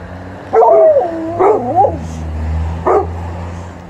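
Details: Golden Retriever and Alaskan Malamute dogs getting treats from a relative: a loud, drawn-out, wavering woo-woo vocalisation lasting over a second, then a single short bark after a pause, with a low steady hum underneath.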